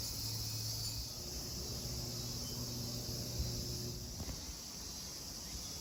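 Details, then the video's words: Cicadas at Kozoji Temple (Takakura Kannon) in Yana, Kisarazu, Chiba, Japan: a steady, hissing high drone holds throughout, with a low rumble beneath and a faint click near the end. "JAPAN TEMPLE & CICADAS SOUND"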